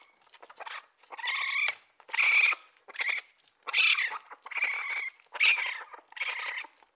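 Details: A raccoon repeats whiny, slightly quavering squeals about every second, each a rough, breathy cry with a thin tonal core. There are six or seven in quick succession.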